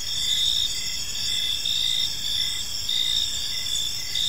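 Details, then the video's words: Crickets in a park at evening give a brief run of high, evenly pulsed chirps stacked in several bands over steady background hum. "Cricket Sounds in a Peaceful Park"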